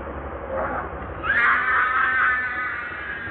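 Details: Baby monkey crying: a faint murmur, then from about a second in a sustained, high, harmonic wail that holds steady and fades slightly toward the end, over low background rumble.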